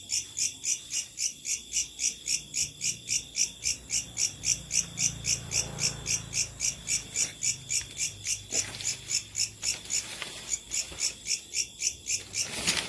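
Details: Locust. Locusts call through the night in a shrill, metallic pulsing, each buzzy chirp following the last at a brisk, even rhythm of almost four per second. A faint low rumble sits beneath the chorus midway through.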